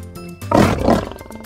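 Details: Lion roaring in two short, rough bursts, the second slightly softer, over steady background music, as part of a children's lesson on safari and wild animals.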